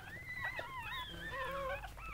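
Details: Newborn Goldendoodle puppies, part of a litter of seven born to mother dog Sandy, give thin, high whines that slide up and down in overlapping tonal squeaks, with a low indoor hum beneath.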